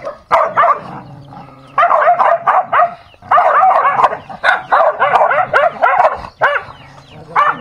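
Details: Dog in a fight giving frantic, rapid-fire barks and yelps in thick bursts, barely pausing, the harsh mid-pitched calls running almost continuously across the stretch.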